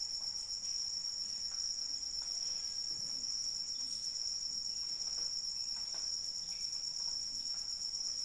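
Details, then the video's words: Rainy night ambience where crickets keep up a constant piercing trill, layered over scattered drips and light rainfall. "Suara Hujan dan Jangkrik Pengantar Tidur"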